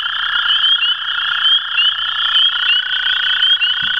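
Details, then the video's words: Two American toads give long, steady, musical trills that overlap without a break, at a farm on April 21, 2016. "Two American Toads Calling"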